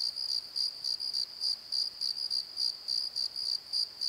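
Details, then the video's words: At night in a valley bottom, a cricket keeps up rapid shrill chirps, three to four each second, evenly pulsed with a soft overtone above and quiet background. "Crickets and Croaks! Pozo Night Tree"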